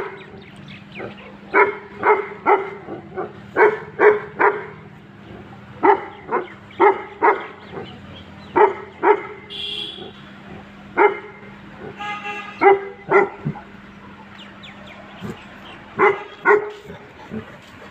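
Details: Sable and red Tibetan Mastiffs, guard dogs for home and livestock from high altitude, give a run of hard, repeated barks, sometimes in quick pairs, with a brief tonal horn-like sound midway and a constant low hum beneath.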